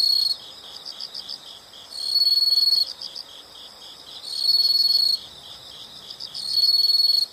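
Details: Insects calling as a calming natural sound: a high, steady trill bursting out about every two seconds, with softer pulsed chirping running between the bursts.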